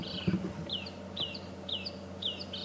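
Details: A distant little tree squirrel at Djuma Game Reserve, South Africa, on an afternoon safari drive on 6 February 2015, gives short, high, downslurred chirps about every half second over a low vehicle hum, sounding upset.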